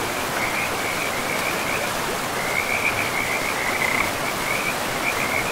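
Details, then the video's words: Frogs in a pristine, moss-covered forest beside a river: a steady series of short, bright trilled croaks, overlapping and repeating throughout, above a constant hiss of rushing river water. "River and Frogs sleep sounds"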